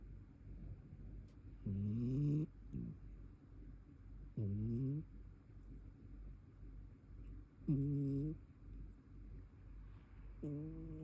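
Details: Brown tabby cat snoring while asleep: four short nasal snores with a rising pitch, spaced about three seconds apart, over a low steady background hum.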